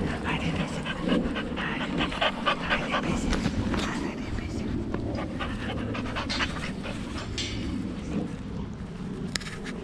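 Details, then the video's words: Rex, a male Boxer born August 2015 living outside Landskrona in southern Sweden, plays with his companion dog Tuva on a playdate. Rapid, breathy panting runs about four times per second throughout, with people talking and calling encouragement nearby. "Boxer Dog Play"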